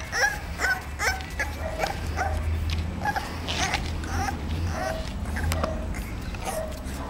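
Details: Young female English Bulldog, 35 days after birth, kennel-born; thin high whimpers and short yips recur at irregular intervals over a low steady hum.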